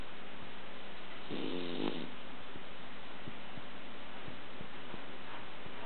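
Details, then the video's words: Sumo, a male Pomeranian, passed out asleep indoors and snoring: a single soft, rough breath about a second long rises out of steady low background hiss, then only faint ticks follow. "Sumo the Pomeranian, passed out, snoring!"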